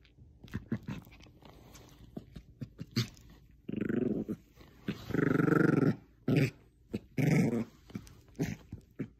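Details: Jojo, a female Bichon Frise playing tug of war with a small stuffed squirrel, gives rough, rumbling growls in short bursts, with scattered clicks and knocks between them.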